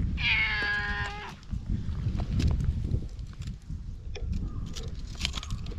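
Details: Stray cat in a park, patted and stroked over and over: one clear, drawn-out meow of about a second opens, then low rumbling and rubbing handling noise take over.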